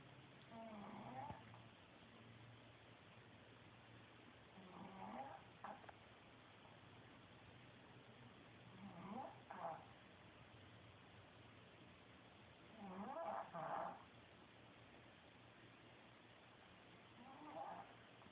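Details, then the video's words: Kaytee, a female Pekingese dog, snoring through an afternoon sleep indoors, caught on a cell phone from across the room: quiet, rasping breathy snores repeating about every four seconds, five in all, over steady low room hum. "Kaytee the Pekingese Dog- If you snore you should watch this!"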